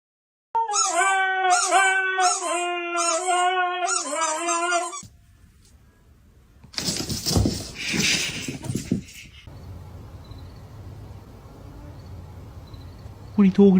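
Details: A dog produces a run of loud, harmonic, wavering howl-like notes in rhythmic bursts for about four seconds, followed by silence and then harsh, broadband noise bursts and a low background rumble.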